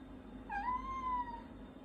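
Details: A pet cat meows while its owner is eating indoors: one drawn-out meow, rising then gently falling, over a steady low room hum.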